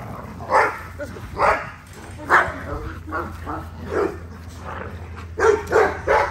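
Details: XL American Bully barking while being exercised, spaced single barks roughly once a second, then a quick triple at the end, over a steady low hum with voices mixed in.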